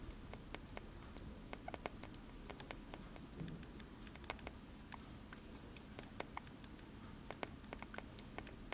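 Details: Sugar glider feeding on blueberries, producing a dense patter of tiny sharp chewing clicks and crackles that continue steadily, with a low indoor hum underneath.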